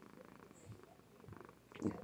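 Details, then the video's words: Sleeping female Somali cat purring indoors, recorded with a webcam; a soft, low, steady purr with faint rhythmic pulses, quiet throughout, with a slight rustle near the end. "Kitty purrs and sleeps with gusto!!"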